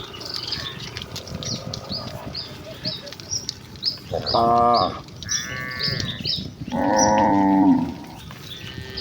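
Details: Herd of village cattle running happily toward their pen, two strong drawn-out moos about three seconds apart, the second longer and wavering, over a background of steady bird chirps and twitters.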